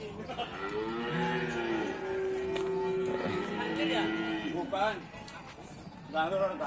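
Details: Cattle calling at Pasar Sapi Bumiayu, an Indonesian animal market: sustained level moos overlapping through the first seconds, then shorter broken calls amid people talking and clattering market noise.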